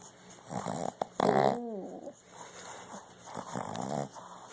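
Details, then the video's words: Sleeping puppy snoring: rough, noisy breaths at irregular intervals, broken once by a brief voiced whine that slides downward before the breathy snuffles resume. "Snoring puppy"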